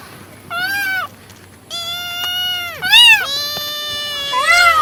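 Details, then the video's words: Domestic cat meowing: strongly harmonic, arched meows of about half a second to a second, some rising then falling, several in quick succession, with a faint steady hum beneath. "Cat sound | meow meow voice"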